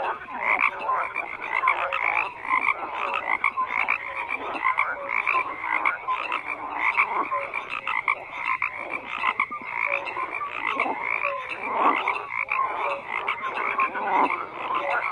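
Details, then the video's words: Long unbroken frog chorus, countless croaking voices overlapping into a rough, pulsing wall of sound with occasional brief whistled notes poking through. "FROGS CROAKING"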